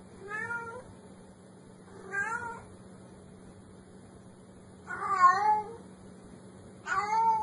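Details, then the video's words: Four short kitten meows spaced one to three seconds apart, the last two louder and more urgent, with a constant low hum underneath. "tiếng mèo kêu meo meo mèo con kêu dễ thương"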